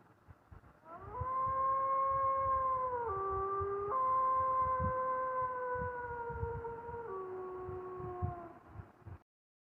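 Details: Coyote giving one long, steady howl lasting about eight seconds, held on a fairly even tone that jumps abruptly to new pitches a few times before fading out, over faint low thumping in the background.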